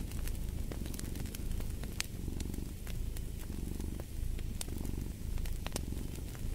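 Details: Deep rhythmic cat purr pulsing about once per second, with scattered bright crackles and pops from a fireplace fire throughout.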